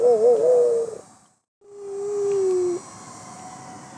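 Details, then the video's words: A West Highland White Terrier, being taught to howl at sirens, howls like a wolf: a wavering mid-pitched cry followed by a long, steady, slightly falling note. "Howl like a wolf, Katie!!"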